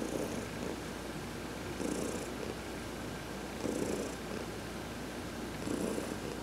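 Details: Cat purring under a massage as it basks in the sun; deep, even purr pulsing in four breath cycles about two seconds apart, each swell paired with a light hiss of air, no other sounds.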